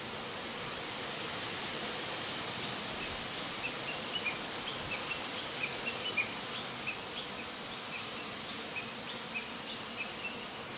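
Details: A hive of Japanese honey bees buzzes around its entrance in a panic after bonfire smoke drifts toward the box from 10 m off. The hum is thick and unbroken, with faint high chirps scattered through it.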